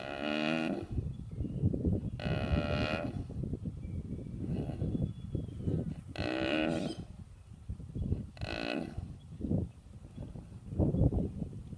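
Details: Cow snoring: deep, rough low rumbles of breathing run almost continuously, broken every two to three seconds by short, brighter, harmonic bursts of a strained nasal tone.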